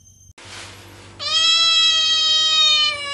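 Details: Domestic cat in the countryside giving one long, loud, steady meow lasting almost two seconds, after a brief quieter rustle; a person then asks in Malayalam whether it wants fish.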